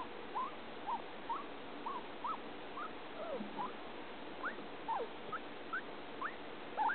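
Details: Male pet guinea pig named Fluffy, eating, making unusual sounds heard off and on day and night for several days: a steady series of short, rising squeaks, about two per second, some climbing higher, over faint indoor background hiss.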